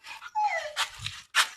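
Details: German Shepherd chained for the first time, giving a high, thin whimper that slides downward, followed by short noisy bursts.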